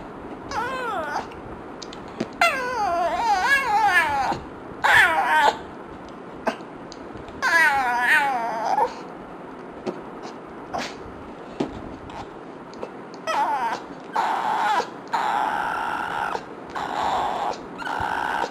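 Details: Pet dog Yumi reacts with frustration to fart sounds, producing wavering, squeaky whines and drawn-out moaning cries in uneven bursts, some long and warbling, others short yelps, in a small room.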